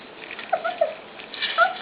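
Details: Puppies in their pen at dinnertime, being fed dog food. A few short, high, squeaky whimpers rise and fall in quick succession, with a brief rustle near the end in an indoor room.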